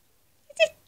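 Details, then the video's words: Domestic cat giving one short, bright meow lasting under a quarter second, harmonic and slightly rising, after a person's quiet words in a small indoor room. "Cat Talking"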